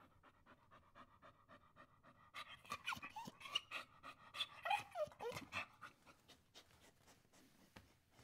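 A Golden Retriever pants in quick, breathy bursts, with a brief high whine sliding downward midway.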